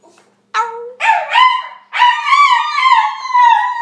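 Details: Shiba Inu dog howling in drawn-out, wavering tonal notes with rich harmonics, three rising and falling howls after a short silence, the last one long and gently undulating.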